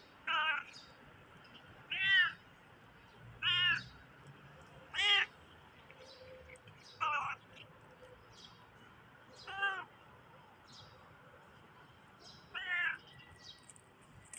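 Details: Funny-sounding meows from a black stray cat: eight short, clear harmonic calls, each curving up and down, spaced roughly every one to three seconds over a quiet background with a faint steady tone.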